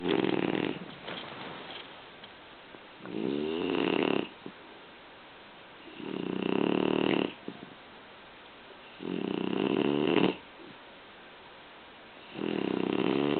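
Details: A French Bulldog named Guch snoring indoors: loud, rasping breaths in broad bursts of about a second each, recurring roughly every three seconds with quieter gaps between, five snores in all.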